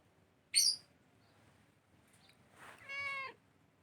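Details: Angora cat recorded on 23 December 2019 gives a short, clear harmonic meow that bends slightly downward near the end, preceded by a brief high hiss-like noise burst and faint rustling.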